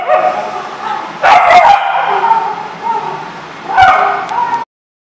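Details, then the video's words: Several dogs at a dog facility barking and yipping together, overlapping harmonic barks in two bursts separated by a quieter stretch of lower yelps, ending abruptly. "The Barking Lot"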